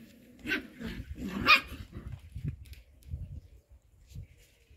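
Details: Playing show Cocker Spaniel puppies yelp twice in quick succession. The high-pitched, harmonic squeals come about a second apart, followed by low thumps and scuffling sounds of rough play.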